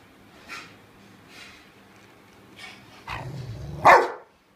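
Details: Rottweiler; growl and bark; guarding a bone, warning others away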